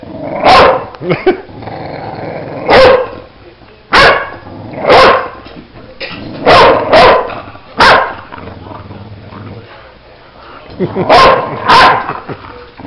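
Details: Bulldog barking while playing: about a dozen gruff, abrupt barks, some in quick pairs, separated by quieter gaps with faint background noise.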